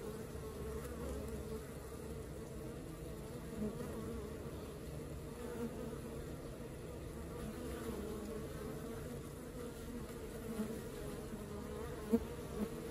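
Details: Honey bee colony at work: a steady, dense buzzing drone that stays low and even throughout, with layered humming tones and no pauses.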